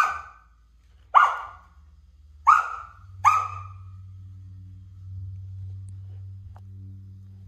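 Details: Sasha, a Samoyed puppy, barking at a stool being moved by a toddler brother: four sharp, bright barks in about three seconds, then a low steady hum.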